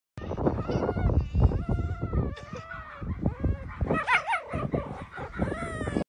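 A fox kit makes a busy string of whines and yelps, some sliding up and down, with a burst of higher squeaky chirps near the end. The calls come in quick, uneven bursts with only short pauses.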